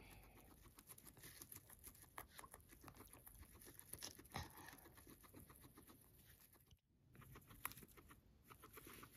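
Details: Max the guinea pig munching grass he has been fed, giving rapid, regular crisp crunches and snipping clicks. The chewing pauses briefly with a moment of quiet, then resumes.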